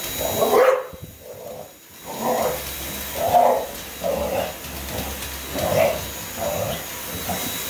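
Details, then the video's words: Hazie, an English Bulldog, barking at a vacuum cleaner: a run of about seven short, husky barks at fairly even one-second intervals, with a faint steady machine whine underneath. "Hazie the english bulldog and the vacuum"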